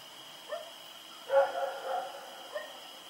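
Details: Rex the dog running around and barking in the night, recorded October 7, 2018; a few short, faint yelping barks, the loudest near the middle, over a steady high electronic whine.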